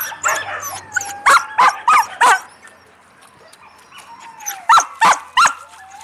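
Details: Yakutian Laika puppies barking in crisp, high bursts, four quick barks in a row, then a quieter stretch with a faint whine, then another tight group of four barks.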